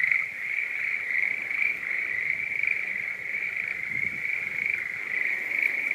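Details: Schlegel's green tree frog met in Japanese marsh-to-mountain habitat during breeding season; a steady, unbroken rattling chorus at a constant pitch, pulsing softly in loudness, with faint low rustles in the background.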